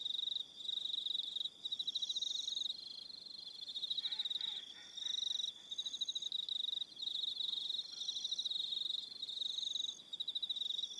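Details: On Aroha Island, New Zealand, crickets call at evening in short high trilled bursts repeated about every second, overlapping voices, with a brief soft lower chirping sound around the middle.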